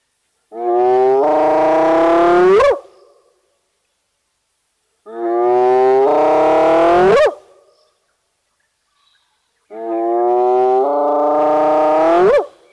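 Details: On a live camera at Nkorho in South Africa's fenceless Sabi Sands Reserve near Kruger, a spotted hyena gives three loud, moaning whoops about every four and a half seconds, each swelling and ending in a steep upward sweep.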